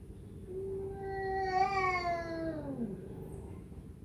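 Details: Domestic cat uttering a single sustained meow that holds steady, swells, then drops sharply at the end, over a low background hum.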